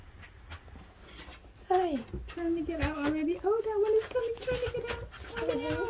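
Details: Newborn puppies, between birth and three weeks old, give overlapping high, wavering whines and squeals that rise and fall in pitch. They start after a quiet stretch of soft rustling and continue almost without a break.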